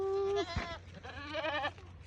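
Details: Domestic goat called by its owner while grazing, coming toward her. A short steady tone opens, then a quavering, wavering bleat rich in harmonics lasts about half a second. Faint background hum is also present.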